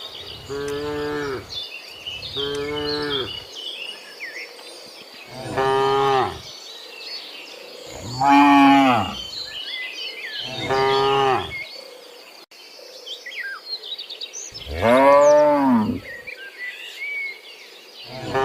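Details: Tame cattle running in a forest, mooing six times in 18 seconds, each moo a deep, drawn-out, harmonic low call of about one second, with small birds chirping quietly in the background between calls.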